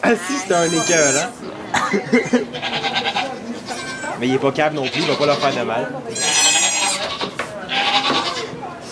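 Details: Goats during the birth of two kids in a sugar shack in Quebec, Canada, filmed on an iPod Touch 4G; short high, harmonic bleats burst out twice amid nearly constant French conversation from people nearby.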